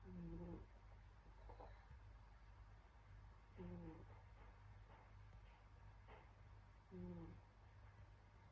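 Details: Senyora Betsy, a pet cat, asleep during winter, snores softly in three low, harmonic rasping breaths spaced about three seconds apart, over a steady low indoor hum.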